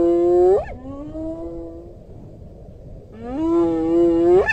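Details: Two hyena whoops, one ending in a quick upward sweep and trailing tone, the next rising steadily in pitch, over a low rumbling background.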